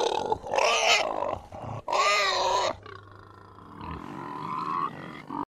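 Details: Krškopolje pig, the only surviving native Slovenian pig breed: two loud, rising-and-falling squeals in quick succession, followed by a quieter, drawn-out whining tone over a steady low hum.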